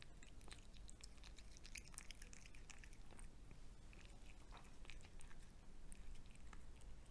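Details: Pet cat eating fried egg indoors in a small room: a steady run of soft, wet chewing clicks and bites, irregular and close, with a quiet low background hum.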